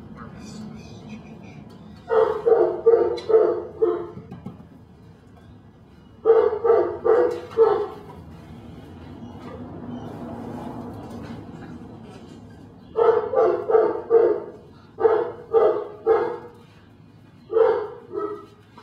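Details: Belgian Malinois puppy named Dinar "Cricket" from Mexico, barking in bursts of four or five quick barks separated by pauses of a few seconds, with a low hum underneath.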